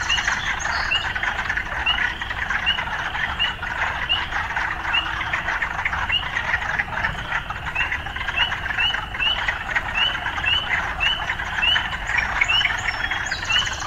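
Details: Urban frog chorus with short, bright upturned chirps repeating at an even pace through a steady wash of background hiss, with faint city sounds mixed in.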